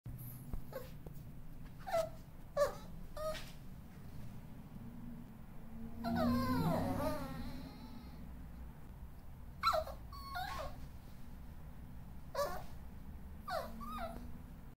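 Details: A Yorkshire Terrier puppy gives a morning wake-up call indoors of short, high whimpering yelps and one drawn-out wavering whine.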